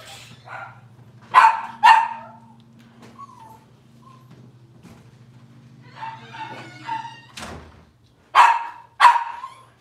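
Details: Puppies of the Cavalier King Charles Spaniel, Robin's litter on a morning kitchen livestream: sharp paired yelps at start and end, softer whimpering and a warbling whine in between, plus a thump and a steady low electrical hum.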